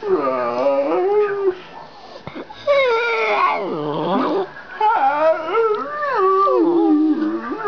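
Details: Chatty pet dog talking in drawn-out, wavering howls that bend up and down in pitch, nearly continuous across the recording with one short break, loud and close by.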